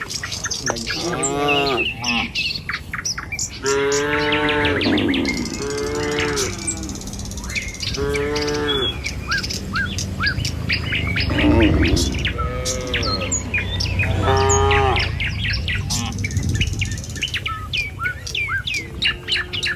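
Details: Herd of tame cattle walking a village road in the morning toward feeding grounds, driven by a herder. Repeated rising-and-falling moos, each near a second long, overlap busy bird chirps and steady low ambient noise.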